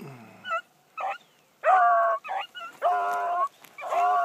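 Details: A young female hound of Blackcreek breeding on its first morning run, hunting. It gives drawn-out, ringing bawls and shorter choppy cries, several loud long notes broken by brief pauses, with a faint lower voice at the very start.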